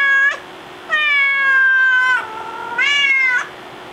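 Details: Indoor house cat waiting at the door, wanting to go back outside, gives a string of drawn-out tonal meows, a long level cry followed by a lower sagging one and a rising final meow.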